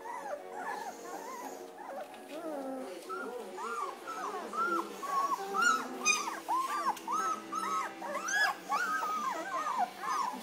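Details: German Shepherd puppies, two weeks old with eyes just opening, a litter whimpering and squeaking together: many short high arching whines overlapping constantly, several voices at once, with soft rustling beneath.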